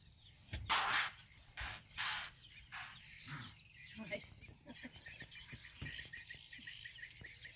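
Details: Alert impala near Crocodile Bridge in Kruger Park raising the alarm after seeing a lion move toward them: several sharp, explosive breathy snorts in quick succession, followed by quieter snorts, with small birds chirping behind.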